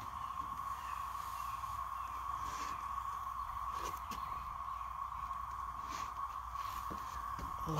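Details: A dense chorus of cicadas, which a man calls locusts, in Randolph County forms a steady, droning whine over his talk; he says it is louder than the day before.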